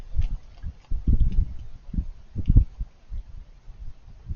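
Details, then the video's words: Raccoon chewing its food, soft crunchy noises in irregular short bursts with pauses between, a louder cluster of munching near the middle, fairly quiet overall. "Raccoons Eating & Being Cute - Cute Lil Crunchy Noises While It Eats"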